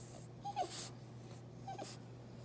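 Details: Prince, a French Bulldog, fusses indoors after his owner ate her food without sharing any; two short high whimpers with a soft snuffling breath between them, over a steady low electrical hum.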